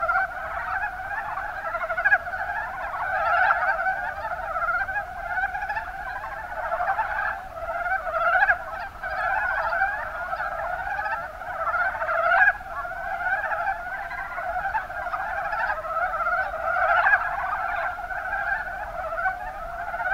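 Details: Many Mountain brown frogs calling together in the Kuma Basin of Kumamoto, Japan; a thick, unbroken chorus of clucking croaks, punctuated by short louder calls about every two to four seconds.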